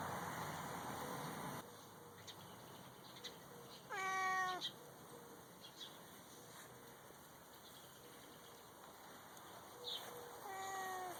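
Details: Neighbour's cat visiting to say hello during its daily routine of rolling in the dirt; two clear drawn-out meows, the first falling in pitch around four seconds, a second near the end, amid steady outdoor insect hum.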